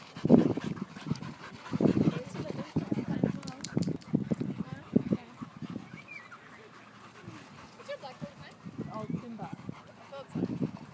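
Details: Husky puppy, three and a half months old, in rough play, huffing and grunting in low growly bursts through the first half, going quieter midway, then scattered grumbles returning near the end.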